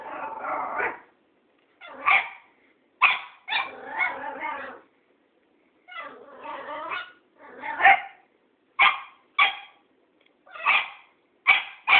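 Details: A Cairn Terrier barking at an old tomcat gives sharp, high bursts, some single and some in quick doubled runs.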